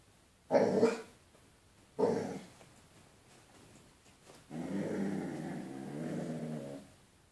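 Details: A Basset Hound barking at his own reflection in a window gives two deep, loud barks, then a long rumbling growl.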